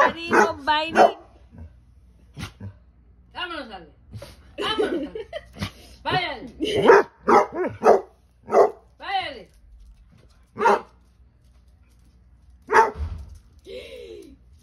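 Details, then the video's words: Basset Hounds barking and talking back indoors: a long run of mixed loud barks, wavering yodel-like howls and grumbling moans in irregular bursts, with a few quieter gaps between outbursts. "Basset hounds barking and talking back."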